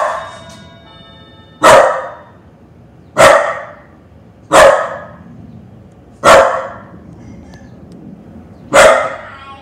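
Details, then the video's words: Female pup Indy reacts to the doorbell with single sharp barks spaced one to two seconds apart, six in all, each loud and abrupt with quiet pauses between them. "Indy the pup barking at doorbell"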